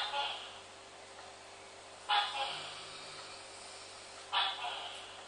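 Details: Captive Dendropsophus leucophyllatus tree frog kept as a pet, calling indoors: short, sharp creaky notes, each a brief crisp burst, given about every two seconds over a low steady room hum.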